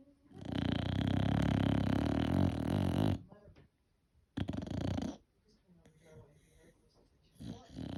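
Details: Sleeping Dandie Dinmont Terrier giving a loud, harsh snore lasting about three seconds, then a shorter second snore, with soft human voice sounds afterwards in a small room.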